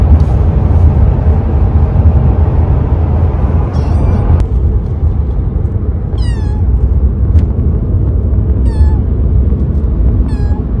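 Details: Gato, a three-month-old male Siberian kitten, in his first months in a new home, gives a few short descending meows a second or two apart over a constant loud low rumble like a vehicle engine.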